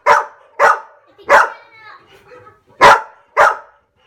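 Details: Pet dogs at home answering barking sound effects with loud, sharp barks in a broken series, five strong barks with a short gap in the middle filled by softer whines.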